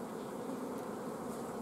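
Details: Honey bee family at a beekeeper's apiary in mid-June 2016, lacking forage and with the queen blocked; thick uniform buzzing hum, steady in loudness, no other clear sounds.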